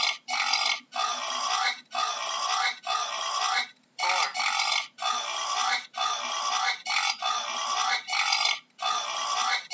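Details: A wild boar gives harsh, rasping grunt-squeals in a steady series, about one each second.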